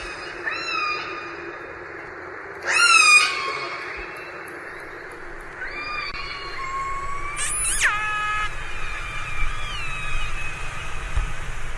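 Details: Several orca calls over a low rumbling hiss: short level whistled tones, two loud abrupt upswept squeals about five seconds apart, and faint wavering harmonic cries trailing off near the end.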